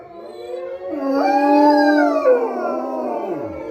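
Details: Tigo, a wolfdog at the Southern Ohio Wolf Sanctuary, gives a single rising then level howl, smooth and harmonic, joined by another wavering voice that bends downward at the end.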